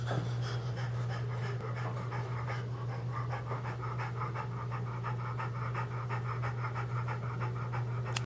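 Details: Cryptorchid male French Bulldog with an undescended testicle in the inguinal region pants rapidly and rhythmically, about three breathy huffs a second. A steady low electrical hum runs underneath.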